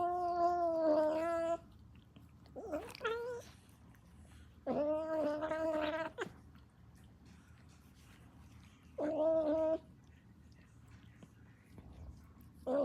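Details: Kitten making weird noises: drawn-out harmonic meows of about a second or more, some flat and steady, some wavering or bending, spaced by quiet pauses, with faint low background hum.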